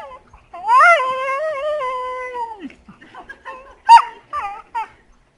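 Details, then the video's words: Heeler mix dog, possibly, playing with an Australian shepherd in April 2012, making weird vocal noises: a long wavering whine-howl rising then sliding down over two seconds, followed by short yelping whimpers. "Dogs playing, weird noises."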